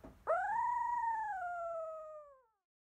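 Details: Field-bred Labrador Retriever puppy at 16 days, eyes newly open, after suckling; one clear, pure whine that jumps up sharply, holds, then tapers and falls away into silence.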